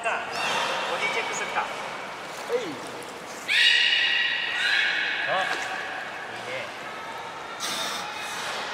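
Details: Belugas in their pool on a morning in January 2020 at Port of Nagoya Aquarium. Scattered chirps give way to a sudden bright, reedy tonal call midway, then fainter squeaks over a hissing hall background.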